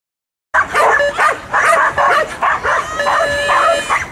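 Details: Working border collies barking in quick repeated bursts, sharp yapping barks following each other about every half second after a brief silence, high-pitched and excited, with no other clear sounds.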